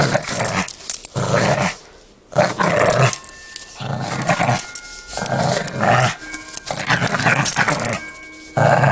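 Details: Male pug puppy playing tug of war with his toy and growling hard: rough, throaty growl bursts about a second long, separated by short breaks, with faint steady tones running underneath.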